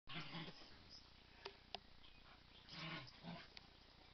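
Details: Domestic dog growling while playing "kill the duvet" with another dog, a third dog nearby; short low rough growls at the start and near three seconds, with a few sharp clicks between.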